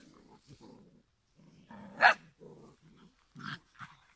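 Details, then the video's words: Five-week-old giant schnauzer puppies: buzzy low growls broken by a loud, high yap in the middle, then a shorter squeaky yelp and more soft grumbling. "giant schnauzer"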